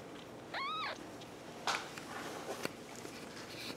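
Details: Kittens indoors: one short, high kitten meow that rises then falls, lasting about half a second, followed by scattered clicks, taps and rustling.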